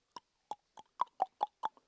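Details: Indian giant squirrel (shekru), a very shy animal heard but not seen in dense forest in Maharashtra; a series of seven sharp, evenly spaced barking notes, about four or five per second, ending with a fainter one, in near silence.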